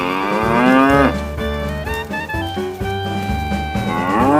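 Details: A herded tame cow moos during the day: one long, slightly falling moo opens the clip and a second, rising moo begins at the end, over continuous upbeat music with a thumping beat.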